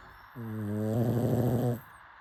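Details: Sleeping pug snoring: one drawn-out snore of about a second and a half, a low, steady droning tone with clear overtones that turns rough and rattling in its second half, in an otherwise quiet room.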